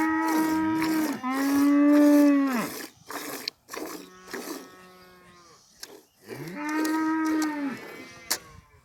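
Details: Village cow giving two long, full moos, each held steady for over a second before dropping off, with a softer low call and a few clicks in the gap between them.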